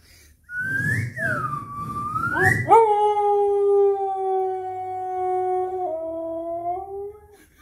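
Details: Siberian husky "singing" with a microphone gives a long, steady howl that opens with a higher, rising note.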